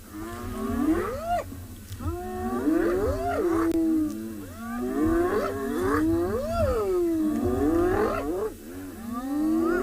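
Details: Spotted hyenas at a kill contested by four lionesses in Tswalu Kalahari Game Reserve, South Africa, at sunset, calling the rest of the clan; rising whooping calls with upward-sweeping, wavering tones, repeated in overlapping series over a low rumble.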